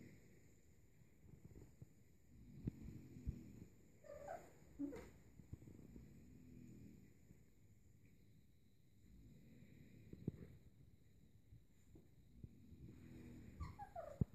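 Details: Playing Kuvasz-Golden Retriever cross puppies, born 11–12 May 2014, at a 3 June 2014 play hour; low grumbling growls recur every few seconds, broken by two quick falling yelps and light clattering thumps.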